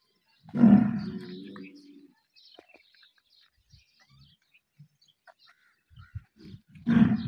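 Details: Cattle, a cow and bull during breeding, giving one long low harmonic bellow of about one and a half seconds, followed by quiet scattered clicks and shuffling, then another loud bellow starting at the very end.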